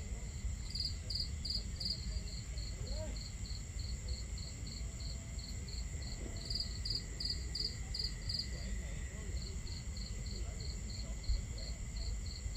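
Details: Crickets chirping on a starry night at a campsite, with a crackling fire and water sounds: bright, high pulsed chirps in quick rhythmic runs, two callers overlapping at times, a brief lull near the end, over a steady low watery rumble.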